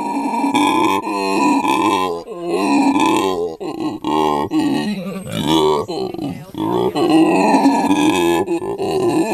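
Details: Captive male howler monkey at a sanctuary in South Africa, calling beside his mate and young. Deep, hoarse, droning grunts rise and fall in uneven bursts with brief pauses, rough and resonant throughout.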